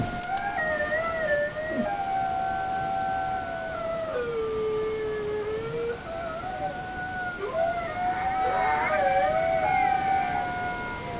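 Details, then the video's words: Dog named Zeus giving sustained howls, long level notes that drop lower in the middle, then climb again into wavering, quavering phrases near the end. "Zeus howling"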